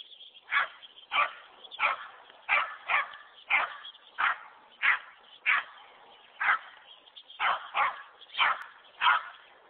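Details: Dogs playing outdoors in snow, with a Boston Terrier, Pug and German Shepherd wanting to play with a big dog next door: sharp barks repeated roughly every half second to second, fairly steady rhythm, over a constant high hiss.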